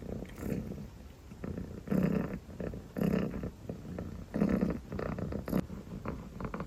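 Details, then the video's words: Sleepy dilute calico kitten purring, deep rumble alternating between quieter and louder breathy phases roughly every second. "purring and yawning sleepy calico kitten"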